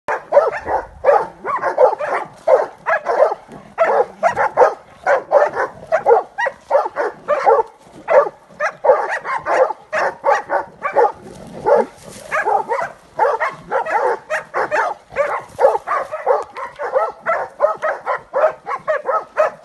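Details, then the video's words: Transylvanian hound barking during training on wild boar, a rapid run of loud, sharp barks roughly eighty per minute, irregular and overlapping, with no pause through the whole stretch. "Copoi Ardelenesc antrenament la mistreţ!"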